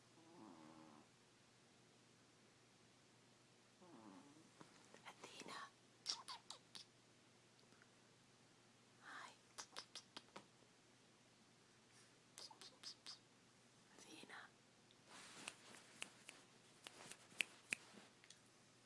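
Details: Athena, a sleeping puppy, snoring: soft breathy snuffling bursts recur roughly every three seconds, some grouped in short rapid runs, against a quiet steady hum.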